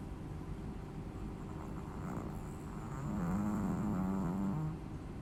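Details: Snoring Chihuahua, with a drawn-out, gravelly, fluttering snore that rises in the last two seconds over a constant low droning background.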